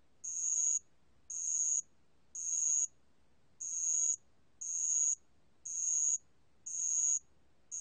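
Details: Bell cricket (알락방울벌레) singing, 2020 recording from Korea's National Institute of Biological Resources: high, tinkling buzzy pulses, eight in total, about one per second, with one slightly longer gap early on.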